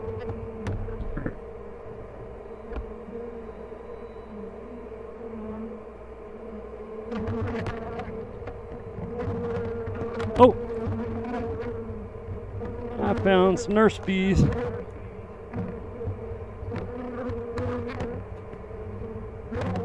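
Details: Honey bee colony opened for inspection at The Mountain, hives full of honey with brood of all stages; continuous buzzy drone holding a steady pitch, scattered clicks and knocks, and a brief wavering higher tone around the middle.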